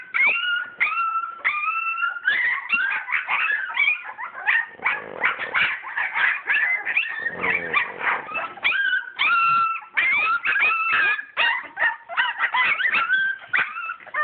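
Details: Purebred English Springer Spaniel puppies from a litter born 22 July 2012, at play: a dense, busy stream of high, thin whimpers and short yips, some sliding up or down, overlapping almost without pause.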